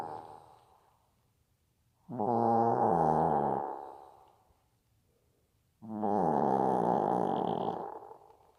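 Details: Bibi, a pet Maltese dog, snoring: two long, rattling, buzzy inhalations about four seconds apart, each lasting around two seconds with a throaty harmonic rasp, separated by near silence.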